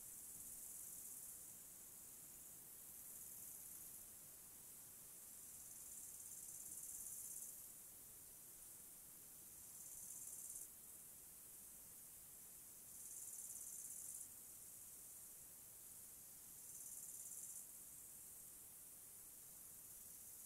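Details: In a mountain forest, a high, shimmering cricket chorus swells in bursts of a few seconds over a steady forest hiss.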